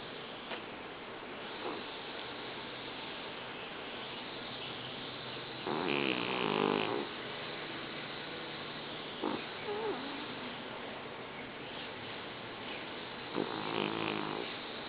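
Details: Golda, a small female pygmy pit bull weighing 20 pounds, snoring while asleep; a few rough, throaty snore bursts with a low steady hiss between them, roughly every three to seven seconds.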